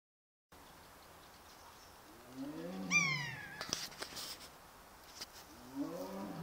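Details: An orphaned young tiger in Sibiu, grieving after its mother was killed two weeks earlier, gives plaintive, drawn-out, downward-sliding mewing moans with a thin high overtone, then a lower falling call; clattering knocks between. Calling more quietly now, earlier heard across Dumbrava.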